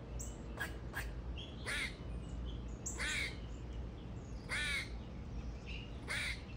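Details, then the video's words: A squirrel said to love singing gives short, harsh, raspy calls, each a quick downward burst, spaced irregularly about one to one and a half seconds apart over a constant low rumbling background. "squirrel loves to sing"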